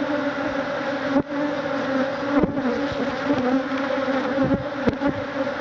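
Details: Africanized killer bees by the thousands defend their hive against a man removing it, stinging him; a heavy, constant buzz with a firm low hum and slight wavering, plus a few sharp bangs.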